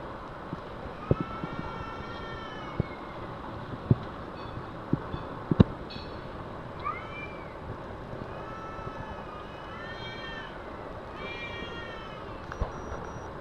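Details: Two cats fighting in a carpark, trading drawn-out, wavering yowls with stacked harmonics that rise and fall in several bouts, over a steady low rumble of traffic with scattered sharp clicks and knocks.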